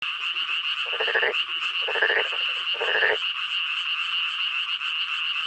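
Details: Male black-spotted pond frogs calling together; three loud, rasping croak bursts about a second apart over a steady, high, continuous trilling drone from other callers.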